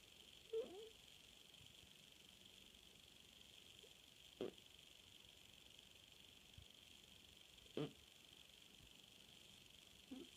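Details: Sleeping through the night, Puja the cat lets out brief breathy snore bursts about every three to four seconds, four of them, over faint indoor background hiss.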